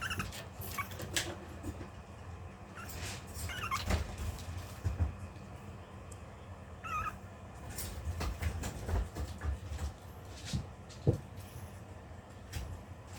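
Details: Long-coat Chihuahua puppy at home, trying to hold back while waiting in line to be fed. Two brief, thin falling whines stand out against steady low room rumble and small clicks and shuffles.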